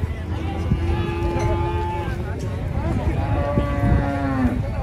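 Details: Cattle being unloaded from a truck at a market: two long, steady, low moos of about a second and a half each, overlapping with crowd chatter and a constant low rumble.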